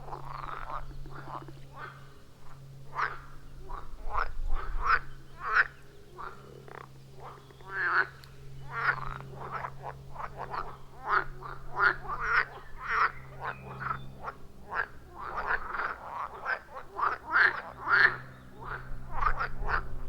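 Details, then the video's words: At a forest pond, wild frogs give short sharp croaks in irregular rapid series, recorded with an iPhone 14 Pro and Shure MV88+; a steady low hum runs underneath throughout. "30 Minutes of Frog Sounds at a Forest Pond"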